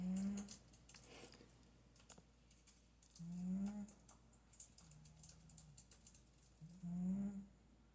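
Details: Cat snoring while asleep, a series of low nasal snores roughly every one and a half to two seconds, some weaker, over a background of quiet clicking sounds.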